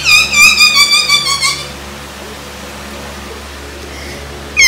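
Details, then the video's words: Dog squeaking in reaction to being teased, indoors, with the dogs named Wowa and Laalaa: a high, wavering whine with bright stacked overtones lasting about a second and a half, then quiet room hiss and a short sound at the end. "SQUEAKING WOWA || KINUKULIT SI LAALAA || DOG REACTION"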